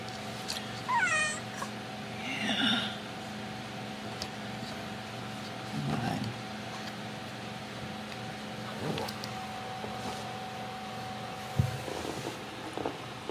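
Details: Ragdoll kittens raised indoors without cages at a home cattery in central Kansas give several short meows, some sliding downward, scattered across the recording. A steady electrical hum runs underneath, and a person quietly coaxes them.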